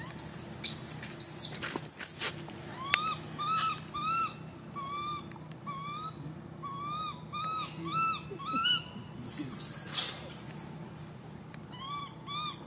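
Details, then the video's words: A baby monkey screaming. It starts with several piercing, very high shrieks, then gives a run of shorter, arched tonal cries repeated quickly. Another burst of shrill screams follows, and a few softer cries end the sequence. Low hum underneath. "Why is this cute baby monkey screaming"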